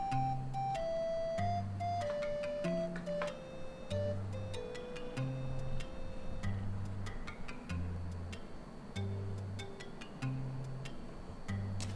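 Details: Gentle plucked melody over soft bass notes, with light ticking percussion and no animal sound standing out.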